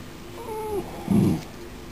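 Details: Yorkshire Terrier puppy, five weeks old, one of Abby's 2014 litter, gives a thin whistled whine that slides downward, followed by a short low rough burst; room hum underneath.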